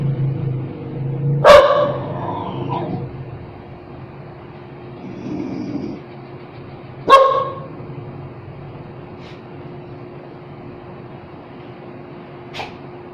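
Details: Dog giving two loud, separate barks about six seconds apart over a low background hum, with a faint tick near the end.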